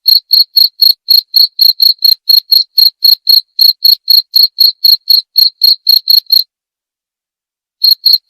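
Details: Cricket chirping steadily, sold as a sound to drive away rats and as calming sleep therapy; loud, clean pulses near 4k with a high overtone, about four per second, then a pause of over a second before two more chirps. No other sounds.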